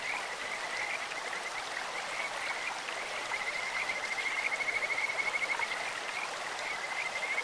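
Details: Kajika frog calling beside a clear stream: a thin, high whistled trill builds midway, with rapid pulses that grow louder, then returns briefly near the end, over steady rushing water.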